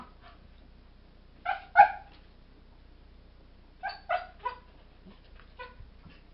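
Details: Two Airedale Terrier puppies, Kodiak and Angle, four months old, talking to each other: short yelping, whining bursts with harmonic stacks, a double cry near two seconds, then a cluster of three yelps and softer trailing whimpers.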